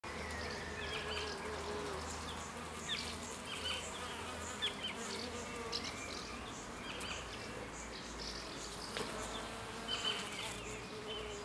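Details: Bees drinking and fighting. A steady, layered wing buzz hums low with stacked overtones throughout, with brief faint high chirps scattered over the background.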